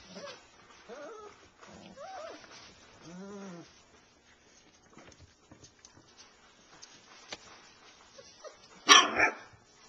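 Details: Alaskan Malamute puppies, a litter nearly ready to leave around January 2010, give short, rising-and-falling whines and yelps, with a sharp noisy burst near the end.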